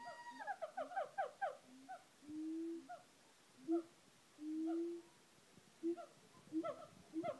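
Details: Siamang gibbons showing off at Auckland Zoo call with quick rising barks and long, low, steady booming hoots.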